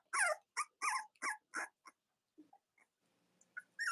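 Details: A quick run of five or six loud, bright squeals from Cavalier King Charles Spaniel puppies in Robin and Myra's litters, each about a quarter second long. Faint murmurs follow, then one more high cry.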